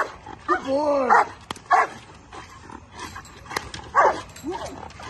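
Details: Bull Terrier during table work training with a handler, giving short arched, whiny barks in bursts, with a man's voice talking in between.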